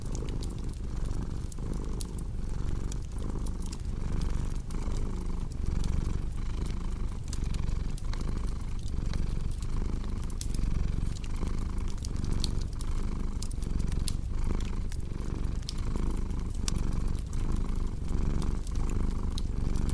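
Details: Long steady purr from a cat near a crackling fireplace; deep rumbling throb pulsing with each inhale and exhale about once every second or so, fire pops sprinkled throughout.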